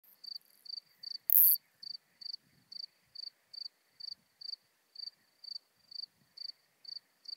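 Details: Isophya modesta bush-cricket singing at Marz, Austria, on 13 June 2020: short high chirps repeated about every third of a second, roughly twenty in a steady series, with one loud click early on and a quiet background.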